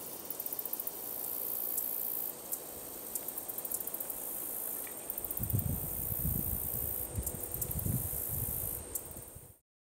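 A handsome meadow katydid sings a very high, thin buzz broken by bursts of rapid ticking.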